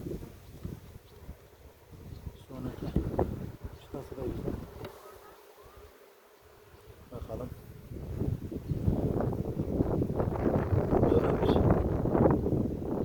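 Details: Beekeeping in a Ceyhan village, queen inspection after harvest: a steady low hum of honey bees that drops away briefly mid-way, then grows louder and fuller toward the end, with faint voices.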